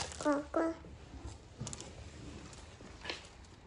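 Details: Norwegian Forest Cat coming to greet its owner after sensing them arrive home; two short, bright chirping meows in quick succession, slightly falling in pitch, then quiet room tone with faint rustles.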